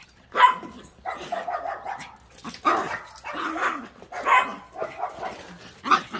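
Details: Dogs giving short, sharp barks and yips in quick bursts, roughly every half second to a second, with people's voices talking nearby.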